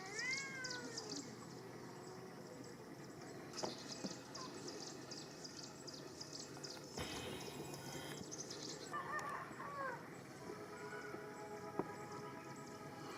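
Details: Kittens playing outdoors and climbing a tree give short high meows at the start and a few more later, while rhythmic high pulsing from insects or birds and a brief burst of broadband noise fill the background.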